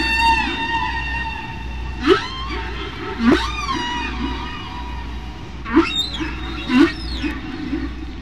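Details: Single humpback whale singing off Bermuda, heard at natural speed and pitch: four loud rising whoops that sweep upward from low to high, interspersed with wavering high tones and harmonic squeals, low rumble beneath.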